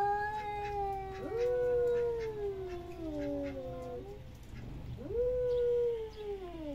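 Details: Domestic cat uttering long, plaintive meows, each rising sharply then sagging slowly downward, three drawn-out calls separated by a brief gap, over a low steady hum.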